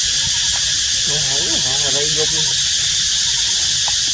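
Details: Baby monkey in high temperatures calling its mother for water, giving one drawn-out, quavering cry that rises and falls for about a second and a half, with a constant shrill insect drone behind it.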